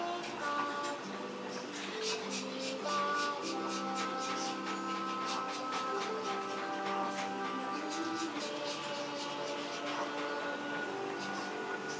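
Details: Music with sustained tones and steady percussive beats throughout, with no animal sound heard.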